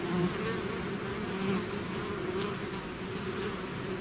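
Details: Natural buzzing of a bee swarm out of the hive, a constant low droning hum from countless wings, unbroken through the short stretch.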